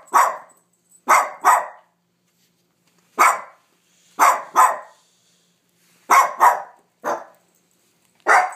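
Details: Sofia, a pet dog, barking at nothing: about ten sharp, loud barks in irregular bursts, often in pairs, with short silent pauses between them and no other sounds.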